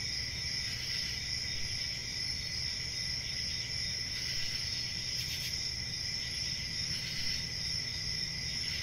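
Crickets trill steadily in a dense, high-pitched chorus with no pauses.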